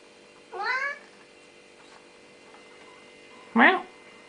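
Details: Noisy Siamese cat indoors: a rising, harmonic meow of under half a second, then a few seconds later a sharper, louder falling meow, over a low electrical hum.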